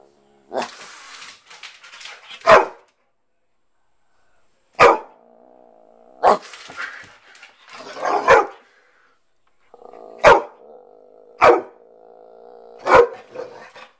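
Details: Jackson, a playful pet dog raised from a puppy and living in upstate New York, gives sharp single barks during play, spaced unevenly a second or two apart, with a steady low humming tone running beneath several of them.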